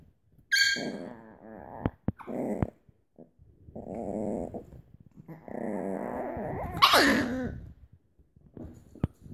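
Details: Chihuahua puppies, moody females, with one wanting to play; low wavering growls in several bursts, a sharp high yelp near the end, and scattered clicks and shuffling.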